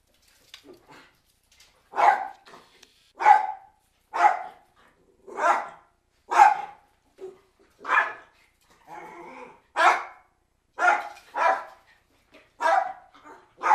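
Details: Cairn Terriers barking indoors: a steady run of sharp, mid-pitched barks, about one every second, with a few softer, lower grumbling yaps between them and a quiet background.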